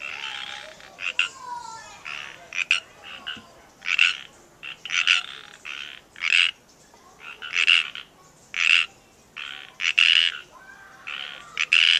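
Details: Several frogs in the wild at Natural Bridges State Park, Santa Cruz, California, give short, raspy, buzzy croaks repeating irregularly about once a second, some overlapping as frogs call together.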